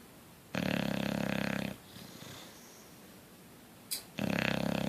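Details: Sleeping bulldog named Coach snores with a harsh, buzzing rattle lasting over a second, followed by a soft airy exhale and a short click before the next loud snore begins.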